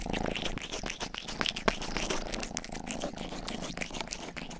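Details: Youngest pet cat Rang-i grooming the ears of a 3Dio binaural microphone indoors, with a low, pulsing purr beneath a fast, steady patter of close-up tongue licks and occasional wet smacks.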